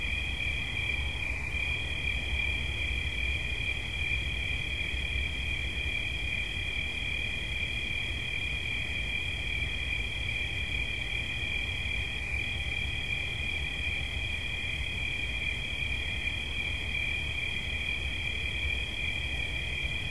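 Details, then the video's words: Two crickets trill together in relaxing night-style ambience, paired high, constant buzzing tones sustained evenly for twenty seconds, a gentle low rumble in the background. "Świerszcz. Dźwięki relaksacyjne"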